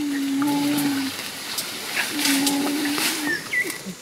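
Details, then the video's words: Wild mountain gorillas hum low, steady, tuneful notes while feeding, a chorus of appreciation caught by a spy camera, described as the first time this singing has been recorded among wild mountain gorillas. "They've caught our gorillas singing as they eat."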